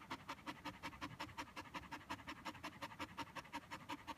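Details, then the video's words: Tired Border Collie after fetch, panting in a very regular, quick rhythm of short breathy huffs, nearly three each second, clean and close. "Border collie McNab tired after fetch"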